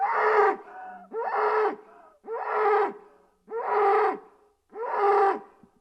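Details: Bull mooing five times in a steady series, each low, rich, nasal bellow lasting under a second and repeated roughly every one and a quarter seconds, with breathy noise between.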